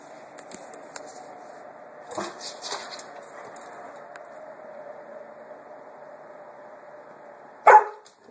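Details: Roxy, a puppy, investigating and harassing a small watermelon; a single sharp, loud bark bursts out near the end over a steady low hum, after a few soft thumps and rustles earlier on.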